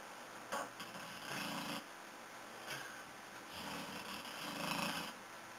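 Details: Corky the dog asleep indoors, snoring in a small room: broad raspy breaths in long rough bursts about every one and a half to two seconds, with soft wheezy sniffs between them.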